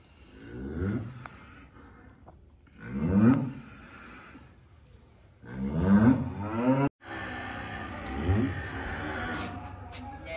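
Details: Calves enjoying themselves, giving drawn-out, rising, harmonic moos about every two and a half seconds. Three clear bawls come first, then a fourth rougher call after a brief break, over steady background rumble.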